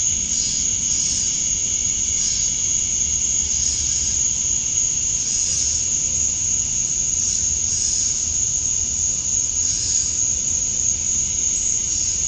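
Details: Summer dusk in Georgia, USA, male cicadas calling to attract females: continuous high shrill whine with rhythmic buzzy bursts swelling about once a second over a steady lower hiss.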